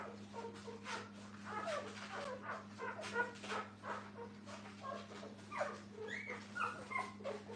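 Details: Puppies with their mother at a dog training kennel, a soft, busy chorus of brief high whimpers and squeaks overlapping throughout, backed by a steady low electrical hum.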